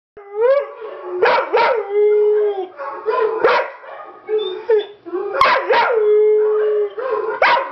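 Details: Pet dog howling for the first time while hearing recorded dogs: long, steady, tonal howls with sliding starts and rough yelping breaks, about six phrases, with a faint voice in the background.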